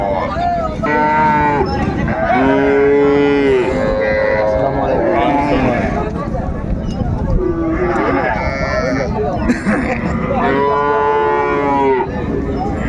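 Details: At Raniganj haat in Dinajpur, Bangladesh, cows and calves offered for sale on 30 May 2024 low repeatedly in long, arched, tonal calls, clustered in bursts, beneath steady talk and bustle from traders.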